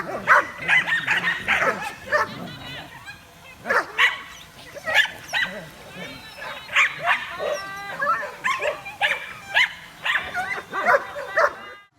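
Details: Dogs reacting to a flying drone let out bursts of short barks and high yips in irregular clusters, some with whining tones, while people laugh and talk in the background.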